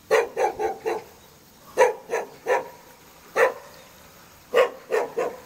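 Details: Jindo dog living in the front yard of a hanok building in Jeonju Hanok Village, North Jeolla Province, Korea, giving short sharp barks: a quick run of four, then spaced groups of three and three, with a quiet pause between them.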